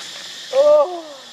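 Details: Baby monkey crying: a single short, clear tonal wail, steady in pitch with bright overtones, breaking into a softer falling tail, over a constant high insect drone.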